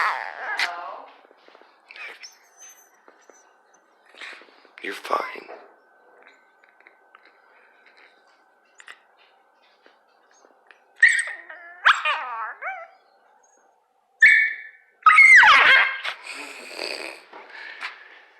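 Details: A dachshund under a blanket, annoyed at being poked, gives wavering, moaning grumbles and whines in protest, with a woman talking softly between them.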